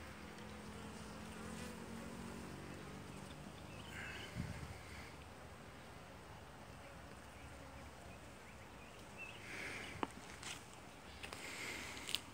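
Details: Honey bees busy inside a hive's second super, working combs around three weeks old that are nearly full; a continuous low droning hum with a brief louder burst near the start and scattered taps and clicks later.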